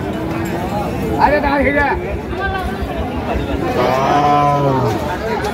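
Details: Cattle at Ambari market, where bony, thin cows are offered; a low drawn-out moo falls in pitch near the end beneath steady market chatter and men's voices asking about the animals' teeth.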